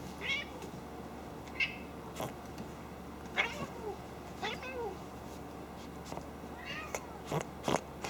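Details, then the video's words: Female domestic cat snorting like a pig while playing and mock-aggravated, not angry, indoors; short sharp broadband snorts and huffs scattered irregularly, a few brief high chirpy cries, and a woman talking softly between them. "Snorting Cat/Kitty sounds like Pig, Funny Noise!"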